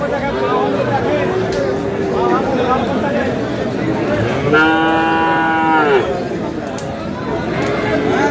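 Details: One clear, steady moo lasting about a second and a half from a Friesian or crossbred bull calf at Aftabganj haat, Dinajpur, heard over constant chatter of the cattle market and a man's voice.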